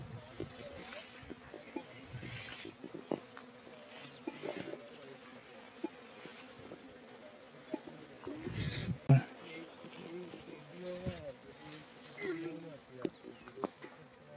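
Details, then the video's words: A swarm of honeybees gathers nectar from coriander flowers; a low, steady droning hum runs throughout, broken by scattered clicks and brief bumps, with louder knocks around the middle. "ধনিয়া গাছ থেকে মৌমাছির ঝাক মধু সংগ্রহ করছে | Bees is collecting honey from the Coriander trees."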